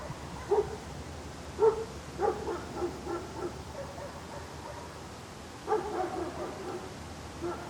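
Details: Dog barking outdoors amid a steady background hiss: a few short barks in quick succession, a pause of about three seconds, then another rapid cluster of barks. The barks sound somewhat distant.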